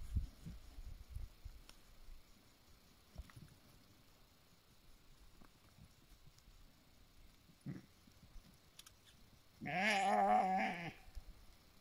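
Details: Sheep of a flock in the mountains of BC, Canada, guarded by a 9-month-old Bully Kutta/Tibetan Mastiff cross and a 2-year-old Tibetan Mastiff female; one long, quavering, wavering bleat lasting about a second near the end, after quiet rustling and footsteps.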